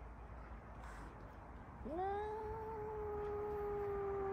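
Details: A black-and-white male cat belonging to a neighbour, filmed with an iPhone 14 Pro Max, makes a single prolonged meow that swoops upward at the start and then holds level for over two seconds over a low background hiss.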